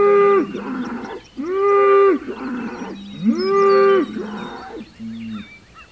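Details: Hereford bull bellowing at rival bulls across the road, June 17, 2023; three powerful sustained roars about two seconds apart, each rising then holding flat, separated by lower rumbling calls, with birds chirping faintly.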